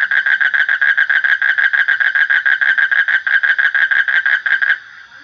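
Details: Loud frog croaking in quick rhythmic pulses, roughly three per second, ending abruptly near the close, leaving only a faint high hum.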